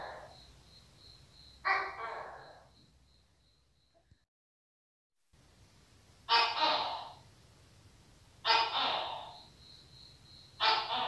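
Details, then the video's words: Tokay gecko calling with loud, harsh, broadband barking notes that fall away after each onset, about two seconds apart in a run of three, over a faint steady high whine and a brief gap of silence. "Tiếng Tắc Kè Kêu - Tắc Kè - Sound Of Tokay Gecko"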